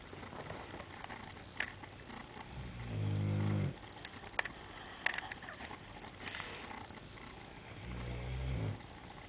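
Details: Abby, a pet dog that snores really loud, gives two long, low rumbling snores about five seconds apart, with faint clicks and rustles between them.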